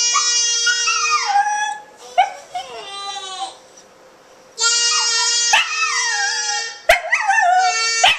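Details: Pet Welsh Terrier named Maya howling along with a singing baby at home; wavering, falling howls in three bursts separated by quiet gaps, over a steady high tone from the baby's voice, with a sharp click near the end.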